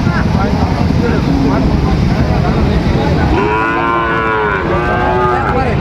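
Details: Sahiwal bull calves being bought and sold at Ambari market in Dinajpur, Bangladesh, 26 September 2025. After a stretch of busy crowd din, one long, steady, tonal moo sounds, followed at once by a second lower, bending moo, with voices throughout.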